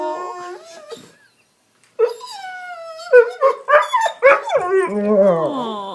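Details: Dog protesting after shoving his bone under the sectional himself, a house tantrum: a brief whine, a silence, then quick rapid yelping bursts about three per second, ending in a long sliding howl.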